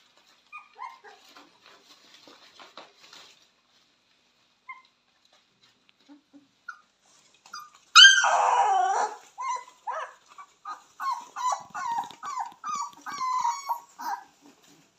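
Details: Purebred Cane Corso puppies raised indoors, born 18 October 2022, whimpering and yipping: a few faint squeaks early, then a loud high whine around the eighth second followed by a run of short rising yelps and whimpers.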